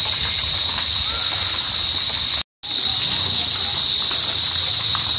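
A cricket calls with a continuous, high-pitched, hissing trill that stays even in pitch and loudness. The sound breaks off for a moment midway, then resumes just as before.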